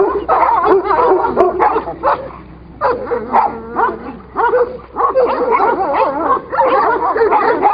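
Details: Kangal versus Kangal scuffle, heavy snarling and strained yelping barks in surges, a quieter growling stretch midway before loud overlapping barks resume, low steady hum behind.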